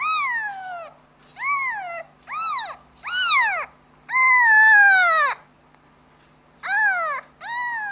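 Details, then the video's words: Kitten calling its mother with loud, somewhat strained meows, several arched cries and one long wavering falling wail, separated by short gaps, over a faint steady low hum. "Suara anak kucing memanggil ibu nya"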